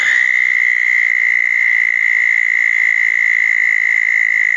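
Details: Southern toads calling around small dug ponds on a wet night after a thunderstorm, June 10, 2014; a steady, unbroken high trill holds one even pitch throughout, with faint fainter tones above it.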